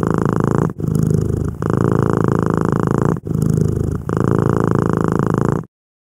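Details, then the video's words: Close, loud purring from a tabby cat named Angel lying on a quilt; deep pulsing rumble in runs of about one and a half seconds separated by quick breath pauses, ending abruptly in silence. "Timelapse of our purring tabby cat Angel on a quilt my mom made."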